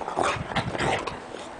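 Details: Female Welsh Corgi doing tricks for a treat, making a brief breathy whine and low grumbling noises lasting just over a second between her owner's praise.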